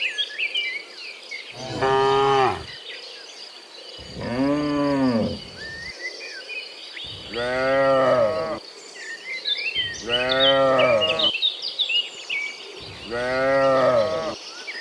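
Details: Dozens of cows walk home from the fields to the pen in the afternoon, giving five rich, wavering moos roughly every two to three seconds over a constant insect hum and scattered bird chirps.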